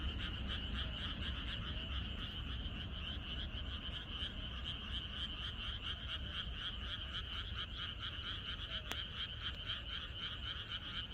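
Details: Chorus of many frogs in a rural area on the night before rain. Rapid, rhythmic pulsed croaks overlap into a continuous bright trill, about four pulses a second, over soft low background noise, with one sharp click.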